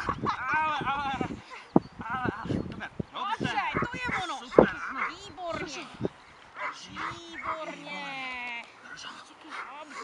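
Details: Dog Vita in defence training barks in loud, harmonic bursts, clustered early then spaced out, with human shouting and commands throughout and a higher whining tone near the end.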